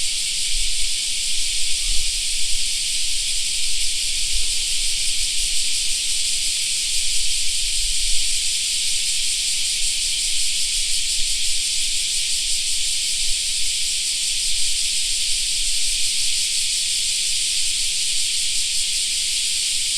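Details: Cicada song fills a summer park for the whole stretch: a steady, high, sizzling drone with gentle regular pulsing. Occasional low thumps and rustle show in the first half.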